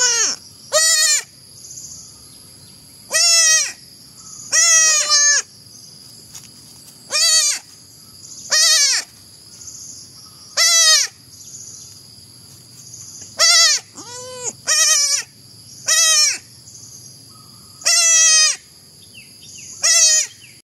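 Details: Baby goat bleating loudly and repeatedly, each cry a sharp wavering wail with bright harmonics, about a dozen calls spaced one to two seconds apart, with a steady high electronic whine running underneath.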